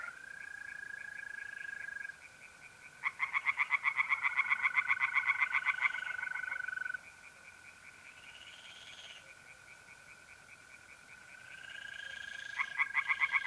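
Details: Singing tree frogs in a north-east Italian pond on an April night, one run of rapid pulsed croaks lasting several seconds, then quieter gaps filled by the even, unbroken trill of mole crickets.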